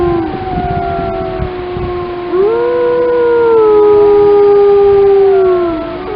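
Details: Lamar Canyon Pack of grey wolves in Yellowstone in chorus, a few voices layered; one strong howl rises sharply near the midpoint, then holds and slowly sinks as the higher howls continue alongside.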